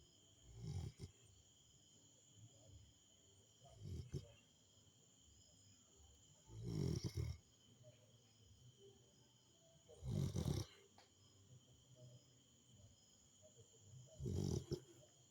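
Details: Rottweiler snoring while asleep: low, rumbling snorts come every three to four seconds, some longer and rougher than others. A steady faint high-pitched whine continues in the background.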